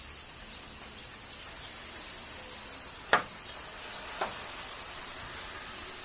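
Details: Cicadas in Kyoto, Japan, in summer rain: a constant thin, hissy buzz, with two clear drop-like taps around the middle.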